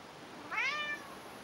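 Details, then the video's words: Jack, a fat pet cat, talking back to his owner during one of their conversations; a single clear meow, rising and then sliding down, about half a second long, in a quiet room. "Talking cat"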